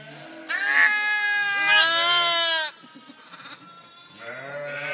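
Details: A lamb said to sound like a parrot gives one long, strained bleat of about two seconds, harsh and wavering, then a softer rising bleat begins as it ends.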